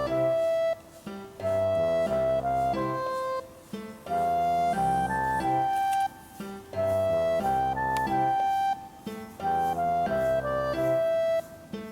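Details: A gentle flute melody over soft plucked accompaniment plays in repeated phrases, with no animal voice.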